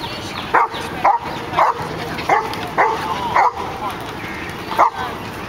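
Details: Rocky the dog getting into the water for the first time, barking: seven sharp, mid-pitched barks spaced roughly half a second to a second apart over steady background hiss.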